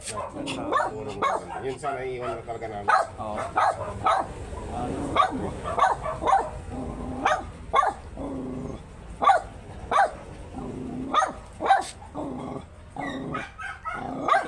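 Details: Barks from a very small Shih Tzu during a stud session in Pangasinan come as a long run of short yaps repeated about once a second, interrupted now and then by human voices.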